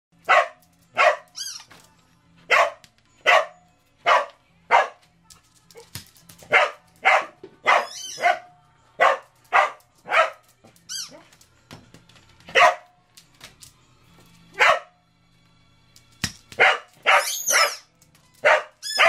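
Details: Two Cardigan Welsh Corgis, Riley, aged nine, and Zoey, aged four, bark during a basketball speed-shooting contest. The barks are sharp and excited, repeated roughly every second in a steady run with brief pauses, over faint background music.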